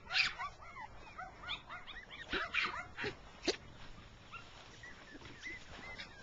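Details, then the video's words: Six-week-old rough coat Jack Russell Terrier puppies with their mother, running in grass; several high-pitched puppy yelps and whines cluster in the first three and a half seconds, then softer scattered squeaks follow. "JRT pups"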